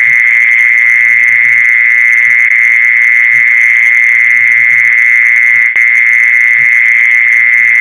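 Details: A steady, unwavering mole cricket trill, recorded for luring mole crickets, runs nonstop at one high pitch, broken only by a short click late on.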